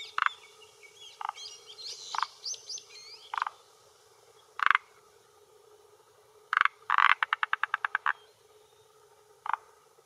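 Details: Male forest green tree frog (Rhacophorus arboreus) croaking with throat vocal sac at a hillside pond shore in Japan, late afternoon, early June 2021, claiming territory and attracting females; short separate croaks, then a rapid series of clicking pulses, with faint bird calls.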